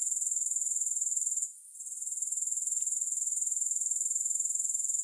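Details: High, rapid, rhythmic grasshopper trill without music, briefly dropping out after the first second and a half, then resuming as an even shimmering buzz.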